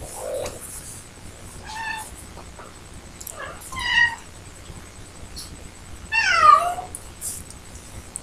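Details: An adult cat named Ricky sits by the door wanting out and meows in the background, giving three drawn-out, wavering cries spaced about two seconds apart, the last the loudest, over a soft indoor hiss.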